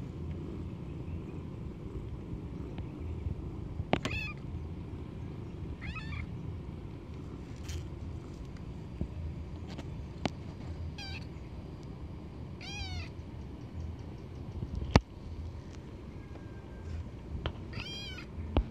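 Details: Cold wild cat meowing at irregular intervals, five or six short wavering mewing cries spread across the stretch, some faint and some stronger, against a constant low hum and scattered clicks and taps.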